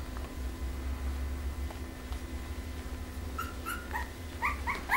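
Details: Pembroke Welsh Corgi puppies from litter A of the pairing Image Čičiko x Danny Toivu My Delight, indoors. After quiet rumbling, a burst of high, thin squeaks comes in the last second and a half, each brief and slightly falling, quickly repeated.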